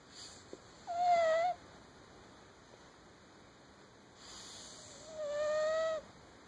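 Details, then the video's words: House cat with sleep apnea snores while asleep. Two breathy exhalations each end in a steady whistled tone, the second longer and softer, about four seconds apart in a quiet room. "My cat snores."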